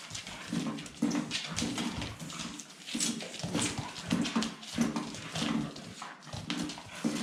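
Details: Staffordshire Bull Terrier puppies giving low, buzzy grunting growls in short bursts about every second, mixed with scuffling, clicking and knocking noises indoors.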